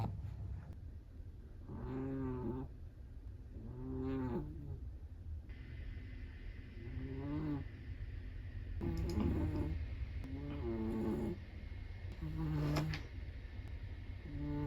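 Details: Chihuahua asleep, snoring in soft wavering bursts of about half a second to a second, spaced every couple of seconds, with a faint steady tone and low room hum behind.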